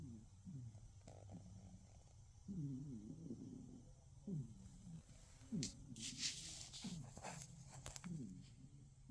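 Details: Cat asleep and snoring, each low, throaty breath sounding gurgly with a slight whine, coming roughly every second and a half; a brief burst of hissy rustling near the end.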